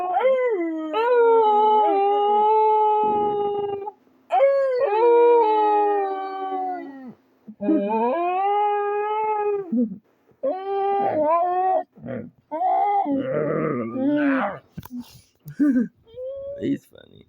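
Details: Dog howling as if to communicate: several separate howls of about three seconds each with quick gaps between, later breaking into shorter, rougher, choppy yelping sounds.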